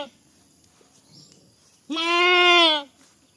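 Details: Goat (Capra hircus), bleat.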